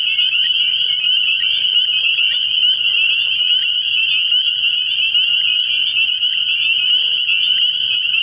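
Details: Spring peepers in full chorus at a frog pond at night, early in the year: countless high, piping peeps running together into a steady, shrill, unbroken tone.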